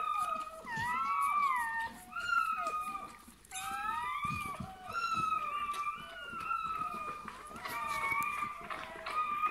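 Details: Newborn Bernese Mountain Dog puppy at its birth, giving high, thin, wavering squeals in a near-continuous series of rising and falling cries over nine seconds, with a brief pause midway and soft background rustling.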